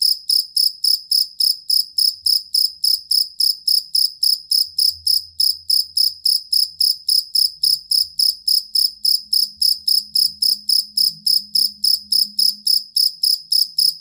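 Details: Steady high-pitched cricket chirping, the stable and long song of a jangkrik kalung used to train songbirds: regular pulses around three and a half per second, with a quiet low drone.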